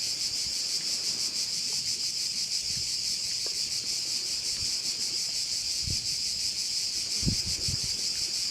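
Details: Crickets overlooking a bay on Korčula, Croatia: a loud, even, high buzzing chorus with rapid pulsing that never pauses; a few low wind knocks near the end.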